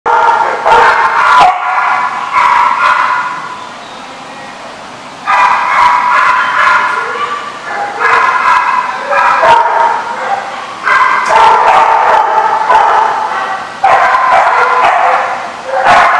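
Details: Dogs barking at a dog park, many overlapping barks and yips in rapid, irregular bursts, with brief quieter gaps between loud stretches.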